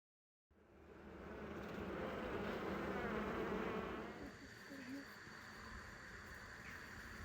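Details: Honey bees of colony 8, headed by an emergency queen, during a hive inspection with a small child helping at an apiary in Mazovia, Poland. A dense droning hum rises, stays steady, then eases after four seconds, with faint talking.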